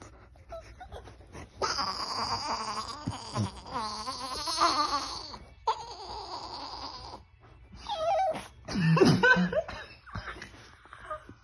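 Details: Chihuahua indoors producing long, warbling, up-and-down moaning vocalisations that continue for several seconds, broken by short pauses, followed by choppy bursts that sound like laughter near the end.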